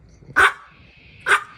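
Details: Maltese puppy barking to demand treats, two short, sharp, high-pitched barks roughly a second apart, with quiet room background.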